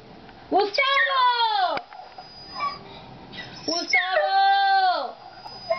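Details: Pet dog howling at dad: two drawn-out, tonal howls, each lasting over a second, rising slightly then sliding down at the end, with a quiet gap between them.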